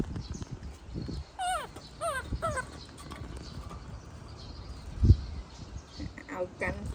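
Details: A baby monkey protests its mother leaving with a quick run of three descending, tonal squeals about half a second apart. Low thumps, rustling and faint human talk fill the rest.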